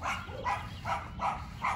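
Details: Anxious Yorkshire Terrier Macy barking at the neighbour's two dogs, five clipped, husky barks in under two seconds, evenly spaced, with a low background hum.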